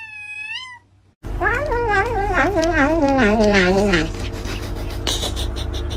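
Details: Domestic cat meowing: a short rising meow, then after a brief gap a long wavering, drawn-out meow that falls in pitch with a quivering tone, under loud background music.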